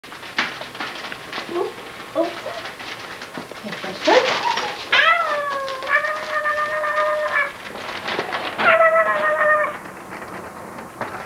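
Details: Basset Hound puppies indoors give high thin whimpers and drawn-out whining whines, some held steady for a second or two, while people laugh and talk nearby.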